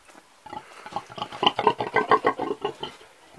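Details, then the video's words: Steady burst of an old pig's grunting: quick, throaty, harmonic grunts tumbling one after another, about six per second, swelling in the middle and fading out. "The old pig egy öreg disznó"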